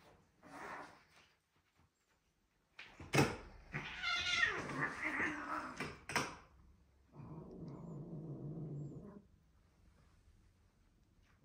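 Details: Two male British Shorthair cats, a blond kitten and a grey adult, play fighting indoors: a brief murmur, then thumps and a harsh hissing scuffle, followed by a low, steady growl lasting about two seconds.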